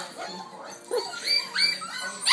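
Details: Six-week-old F1b Goldendoodle puppies screaming indoors during a football game; high, shrill rising and falling squeals and yelps overlap quickly in a noisy chorus.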